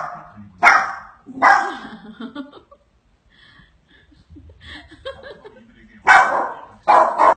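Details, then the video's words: Pet dog barking at a cheetah on a television screen: loud sharp barks at the start and end with quieter whines and muffled sounds between, and a person's voice faintly heard. "Cute dog barking against the cheetah in tv"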